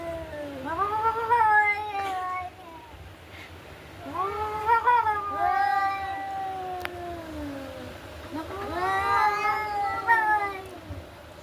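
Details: Fighting cats trade yowls in three long bouts, each swelling up then sliding down in a wavering, nasal howl, with quieter gaps between; faint human voice in the background.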